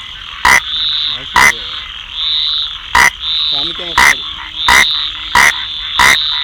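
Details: A rain frog gives loud, abrupt, clicking chirps roughly once a second, standing out above a constant high-pitched chorus of other frogs.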